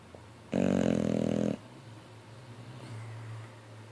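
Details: Boxer dog sleeping, snoring with jaws flapping: one loud, rough, rattling snore lasting about a second, followed by quiet breathing and a low steady indoor hum.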